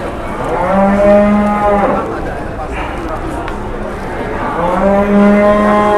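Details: Big-bellied jumbo cattle on sale at a busy Indonesian livestock market. Two clear, sustained moos with rich harmonics, each lasting over a second, separated by a pause filled with people talking nearby.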